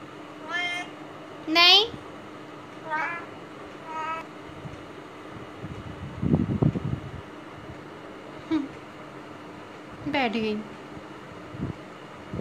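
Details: Female domestic cat kept in a cage on day 17 of neuter aftercare, restless and not settling, gives a series of harmonic meows at about 0.7, 1.7, 3, 4, 8.5 and 10.2 seconds, some rising then falling, with a woman's low speech in between.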